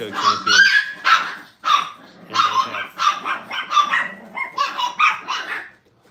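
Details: Brittany puppies during crate and tunnel training at a kennel give a run of sharp, high yips and short barks. About nine bursts come in quick succession over six seconds, with voices mixed in.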